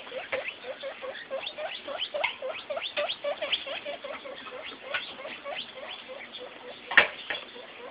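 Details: Newborn piglet, born the day before, with its mother, a light buff sow rescued from a backyard group of over 20 pigs; rapid soft squeaky grunts repeat several times a second, with one louder click-like sound near the end.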